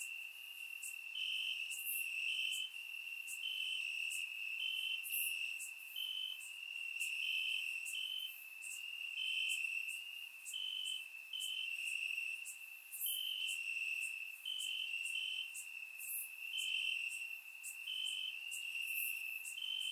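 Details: Crickets chirping in grass on a warm summer night in Bulgaria, captured with a surround microphone: a steady high trill with pulsed chirps layered above it, plus brief bright bursts from other crickets.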